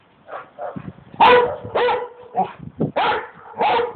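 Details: Dog producing a jumbled series of short, strained, talk-like yowls and barks, some bending upward in pitch, roughly six loud bursts over four seconds.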